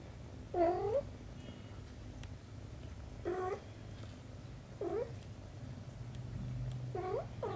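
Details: A mother cat beside her kitten repeats plaintive, bending meows, four calls spaced roughly two seconds apart, the last a quick double. Low steady indoor hum runs beneath.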